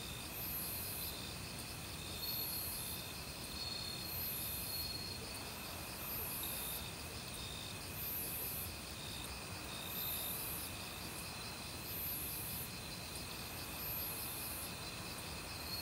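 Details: Autumn crickets chorus in a forest, joined by various other insects: steady high buzzing bands with pulsed chirps repeating about every two seconds, over the constant rush of a mountain stream; recorded without professional equipment.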